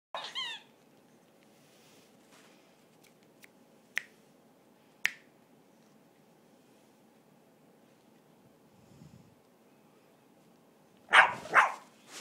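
A Boston Terrier gives a brief high whine, then two sharp barks after finger snaps.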